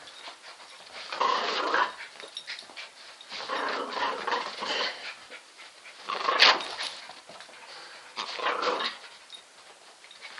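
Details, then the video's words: A terrier that likes to spin, caught mid-play making breathy, noisy bursts with some whiny edges. Bursts come irregularly, about every one to two seconds, with quiet gaps between them. "The Spinning Terrier"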